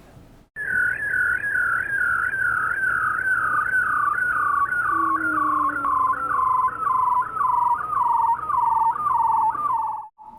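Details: A bearded seal, a species usually found further north in cooler waters, gives a long, warbling trill that slowly sinks in pitch; the trill is a mating call produced by males.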